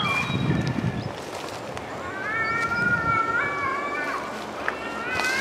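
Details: Cats arguing outdoors in the woods; low rustling and sloshing noise opens, then a sustained, wavering yowl stretches over several seconds, shifting pitch before trailing into another rising cry at the end.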